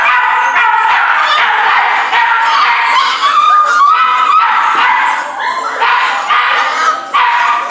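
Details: Rescue puppies of a Corgi Airedale mix whine and yip together. Overlapping tonal cries rise and fall steadily, with a brief, slightly louder sliding whine near the middle.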